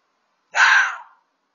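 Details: Red fox making a racket with a single harsh, hoarse, breathy scream lasting about half a second, rough and noisy with no clear pitch, against silence.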